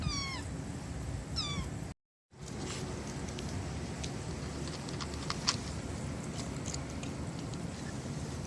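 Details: Stray kitten, one of four siblings born to a young white mother cat in a residential area by a bus terminus, gives two high, falling mews in quick succession, then a brief silent gap and steady low background hum.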